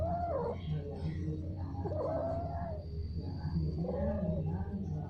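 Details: Cats mating produce warbling, moaning yowls that swell and fade in pitch, three long calls in a row, with a continuous low-frequency hum behind them.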